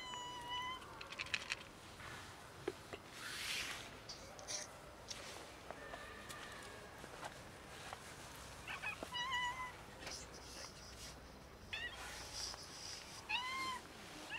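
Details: Kittens and cats almost raided by a pregnant dog: scattered short meows at intervals over a noisy outdoor background, a few bursts of rustling and clatter in between.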